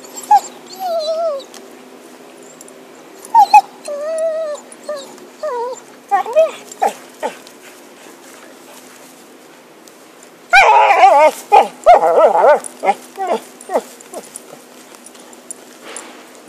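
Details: Dog named Happy playing with a stick, giving high wavering whines that rise and fall, then a burst of sharp excited barks and yelps mid-clip, followed by more short whines, indoors.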